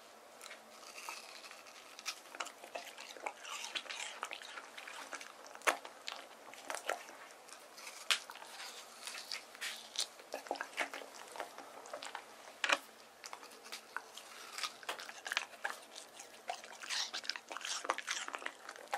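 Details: A male white terrier named Deokgu, born 19 April 2018, chews watermelon in summer heat. Dense, sharp crunching and juicy biting runs almost without a break in a small room, with loud snaps now and then.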